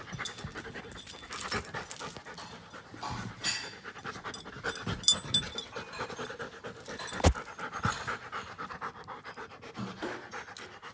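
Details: Giant schnauzer aged one year and five months, heard panting in irregular breathy bursts, with scattered clicks and rustling noises around it.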